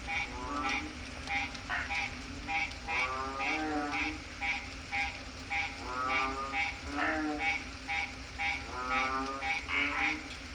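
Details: A loud night chorus of frogs croaking over steady rain, heard from a porch in the Philippines, with overlapping pulsed, rattling calls.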